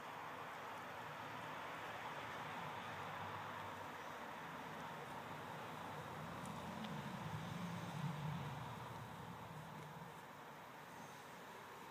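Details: Steady low rumbling background noise, like distant traffic, with no clear animal sounds. A faint rustle or murmur swells briefly near the middle, but no animal voice stands out.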